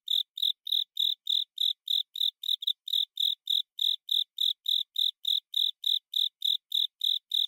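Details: A Japanese burrowing cricket (Velarifictorus micado) sings a steady run of short, high, ringing chirps, about three each second, a song traditionally heard as "kata sase suso sase tsuzure sase" on long autumn nights.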